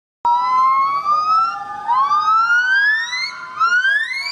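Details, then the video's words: A young female golden-cheeked gibbon rescued from the illegal trade in Vietnam practises her song, giving long, clear whoops that slide steadily upward in pitch. "The gibbon life song - never to early to start"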